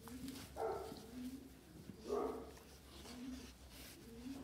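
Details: Presa Canario dog, recorded April 2020, giving two deep, short barks about one and a half seconds apart, with low steady humming tones and faint background noise between them.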